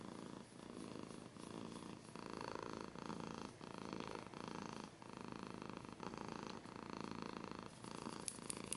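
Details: Cat purring with scratching sounds close to the microphone, a continuous throaty rumble rising and falling with breathing, cycles under a second apart, quiet background.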